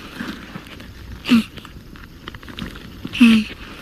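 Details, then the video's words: A male leopard tortoise on the veld makes two short, low, hoarse grunts about two seconds apart while mating with a female in the rainy season before the dry season, over faint outdoor rustle. "when male tortoises mate they make an extraordinary sound listen to this"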